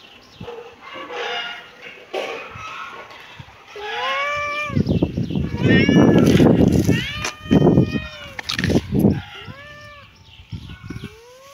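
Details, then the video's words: Kitten meowing repeatedly, a run of short rising-then-falling mews with clear harmonics, broken midway by louder broadband rustling and handling noise before more mews follow. "Kitten meowing"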